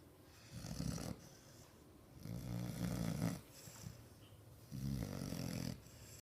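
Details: Sleeping six-month-old American Bulldog named Ozzy snores in three drawn-out, grumbling breaths, the middle one longest, with soft wheezy rasps and quiet gaps between.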